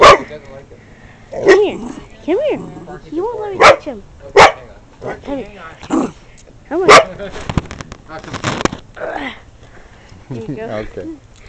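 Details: Emily, a female husky/wolf mix and the runt mother of seven larger pups, makes drawn-out 'talking' sounds: arched, rising-and-falling moaning notes in bursts. Loud clicks and a person's voice mix in.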